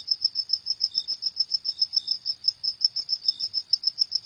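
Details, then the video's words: A cricket calling at night with quick, regular high-pitched pulses, roughly four each second, plus a couple of faint lower chirps in the background; a quiet setting. "Suara Jangkrik di Malam Hari"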